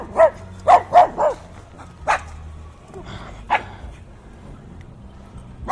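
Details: Dogs barking fiercely, captured with binaural in-ear microphones: a quick run of four sharp barks in the first second and a half, then single barks spaced about a second apart over a low wind rumble.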